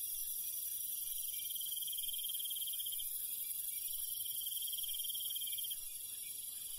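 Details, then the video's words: Crickets at night in the countryside: a fast, ringing trill comes in two long runs separated by a short pause, over a continuous high insect drone that drops slightly near the end. "Countryside night bug sound ASMR - cricket sound"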